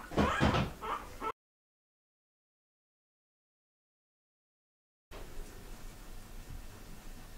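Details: Door sliding and knocking sounds indoors, then a long silence and faint room noise; no animal sound heard.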